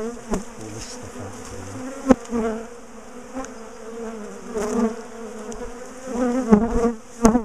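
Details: Agitated bees from a top bar hive, a colony known for chasing its owners, buzz in a constant drone while the hive is taken apart, with sudden knocks and brief louder surges.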